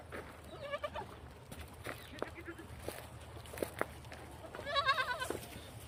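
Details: Beetal goat kids and adults kept on a farm at Koldam. A trembling bleat comes early, then a stronger vibrato bleat near the end, with people talking and low rumbling noise throughout.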